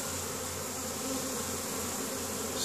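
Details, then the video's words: Honey bees foraging in spring at a hive in Caribou, Nova Scotia, Canada, on 10 May, bringing pollen home; a steady, dense buzzing hum of many bees fills the whole recording. "Honey Bees spring foraging"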